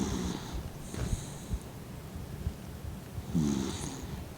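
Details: Mint, a 15-year-old blind Dachshund, snores while sleeping with his eyes half open; two rasping, throaty snores come about three seconds apart, each with a brief hissing edge, and soft breathing in between.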